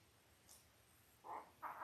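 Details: Five-day-old Labrador Retriever puppies from the eight-pup litter of Belle, born October 15, 2023, on a live puppy cam: two short, high squeaks in quick succession after a near-silent start.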